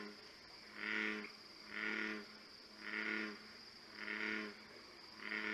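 An American bullfrog gives deep, pulsing 'jug-o-rum' notes, about one each second, like a throbbing foghorn.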